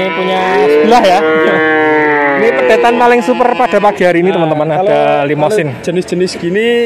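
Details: Male calves in Grabag, Magelang regency, Indonesia, where a buyer takes 19 head: several overlapping drawn-out, tonal bawls with rich harmonics, some rising then falling. Clicks, clatter and scattered voices sound in the background.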